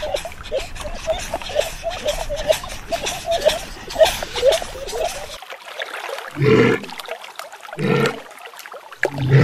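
A walrus gives short, deep, rough grunting bursts over splashing water.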